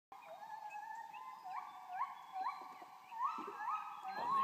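A gibbon gives loud, pure whoops that rise sharply, repeated about every half second.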